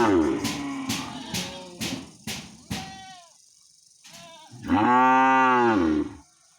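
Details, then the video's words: In a village, a cow, described as angry and calling its owner, gives one long, deep, rich moo that swells and then fades, after a run of sharp knocks. "Angry Cow Sounds Moo Moo- Cow Funny Sounds- Animals Cow Call His Woner"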